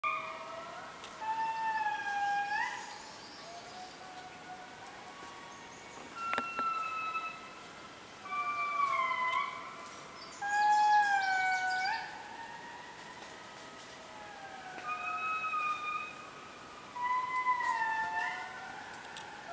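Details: An indri lemur in the Périnet Reserve, Madagascar, gives long, eerie wailing notes that slide up and down in repeated phrases.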